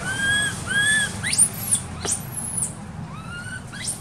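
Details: Crying baby monkey, neglected by its mother in an archaeological park, gives two clear arched wails, then quick upward-sweeping squeals and fainter curved cries, over a low steady hum.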